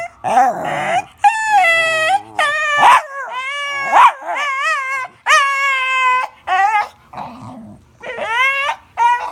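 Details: Dog making weird noises, almost without pause: strongly tonal whines and yowling howls that rise and fall, some wavering and some short yips, in a string of separate bursts.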